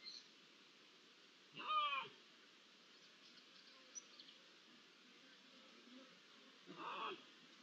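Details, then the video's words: Iberian lynx recorded on 16 June 2023 with ambient sound: two short arched meows, one early and one near the end, separated by a long quiet stretch of faint background hiss. "¿Uno, dos, tres linces? (Con maullidos)"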